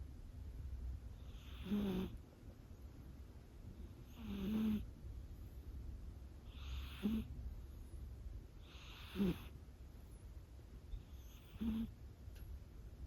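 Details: A sleeping five-month-old Scottish Fold kitten with a heart condition snores softly: five short, breathy snores with a faint nasal tone, about every two and a half seconds, in a quiet room.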